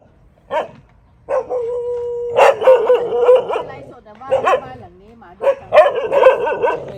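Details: Dogs at a friend's house in Thailand bark in short harmonic bursts, with one drawn-out howling whine in between and several loud overlapping barks toward the end; a man's voice is mixed in.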